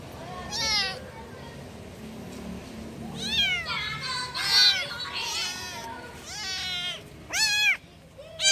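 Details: Kittens calling for their mother: a series of high, thin meows with arching pitch, some short and sharp, others drawn out, spaced irregularly over a faint background hum.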